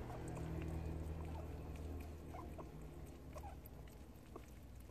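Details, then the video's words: Prairie dog eating homemade treats and making sounds as it eats: soft, quick clicky chewing noises around four per second, faint against a steady low hum. "수제간식 얼마나 맛있으면 프레리독 소리내며 먹음"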